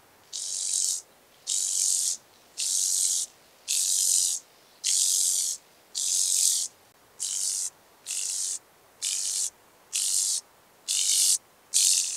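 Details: Speckled buzzing grasshopper recorded in Vorderriss, Germany, on 11 August 2022, producing loud, regular snarring rattles, about twelve bursts in twelve seconds, each a dry hiss with clean gaps between.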